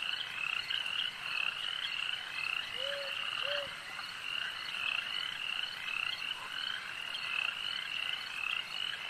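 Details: Lakeside frog chorus, a steady wall of fast pulsing trills from many callers, broken only by two short, low, whistled notes partway through.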